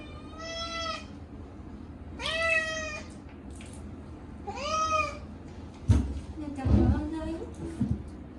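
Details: Short-legged Munchkin cat Chacha protesting his first bath in a year, on a hot day: three drawn-out rising-then-falling meows about two seconds apart, followed by loud thumps and splashing water from the tub.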